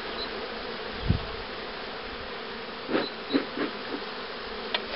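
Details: Honey bees at hives being prepared for queen rearing in 2013, including the starter hive that accepts queen cells: a steady, dense hum throughout, broken by several sharp knocks and handling clicks.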